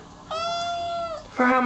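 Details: A single drawn-out, level kitten meow lasting nearly a second, then the start of a lower, rougher second cry, from kittens playing beside their mother indoors.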